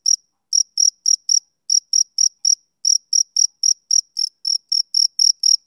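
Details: Summer-evening chirping of a male cricket: short high-pitched pulses arriving in uneven bursts of two to five, broken by small gaps, about twenty chirps in all over a silent background.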